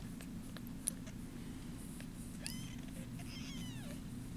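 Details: Bottle-fed foster kittens, about ten days old on arrival, purring indoors: a steady low rumble runs throughout, with a few faint high kitten mews drifting over it near the end.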